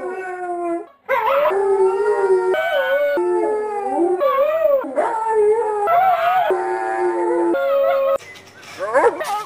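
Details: Siberian husky howling in long, sustained, wavering tones with rich harmonics, broken into several drawn-out phrases that rise and fall in pitch, ending in a few quick sweeping yelps, with faint human voices in the background.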